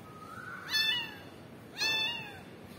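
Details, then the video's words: Baby cat crying and calling for its mother. Two drawn-out meows about a second apart each bend downward at the end, over a quiet indoor background. "kitten crying for momma cat"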